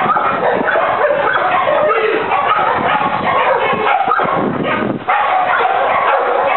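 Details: German Shepherd Ufo, four years old, confronts a decoy beside his handler during a criminal apprehension demonstration in Trinidad. Dense volleys of rough, loud barks overlap with men's raised voices throughout.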